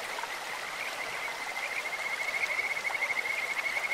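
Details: Kajika frog calling in a clear stream: a high, thin pulsed trill holds a steady pitch through the second half, and the pulses grow louder near the end, over constant rushing water.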